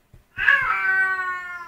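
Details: A 50-day-old blue British Shorthair kitten, recorded in May 2011, gives a single drawn-out, high meow that holds steady and fades slightly.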